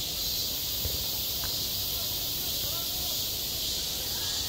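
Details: Midsummer cicada chorus over a school playground, a steady hissing high buzz that never pauses, with a soft low rumble and a faint brief knock underneath.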